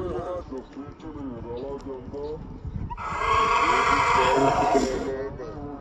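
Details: Kathiawari horse Paramveer from Gujarat, of Bhayla Stud Farm, Ahmedabad, brought to Faridkot; after three seconds of men's voices a harsh, sustained whinny bursts out for over two seconds, then fades back to talk.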